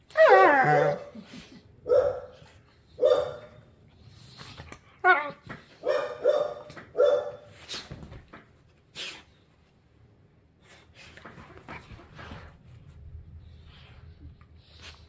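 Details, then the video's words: Play-wrestling pit bull puppy with an older rescue pit bull: a whiny yelping snarl opens, followed by a run of short, rough growly barks about once a second, then scuffling and quiet. "Pit Bull Puppies wrestling: Epic Growling & Snarling"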